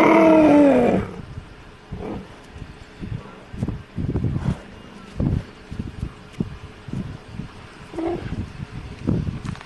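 A cheetah gives a loud, falling, cat-like meow, then low, uneven rumbling pulses.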